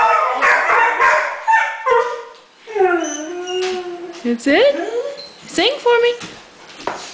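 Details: Alaskan Malamute from a pack of six, howling along with its owner in a woo-woo singing session: drawn-out wavering howls with rising and falling pitch and rich harmonics, broken by short yips, with the owner's voice urging it on.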